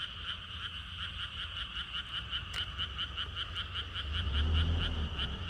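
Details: Frogs calling in a rapid, steady series of pulsed, rattling croaks, roughly three to four per second, with a bright upper tone over a lower one; a low rumble runs underneath and swells near the end.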